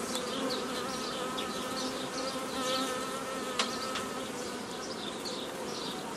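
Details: Steady mass buzzing of honey bees during old-style nucleus colony making on 15 May 2018, bees taken from a previously formed forager swarm; continuous droning chorus with one sharp click a little past halfway.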